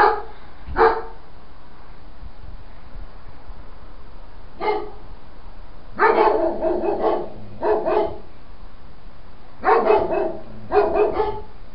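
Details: Several dogs shut in a wooden shed at 3:30 am on 10 August 2012, barking in short bursts of two to four sharp barks separated by pauses, a distant low hum beneath.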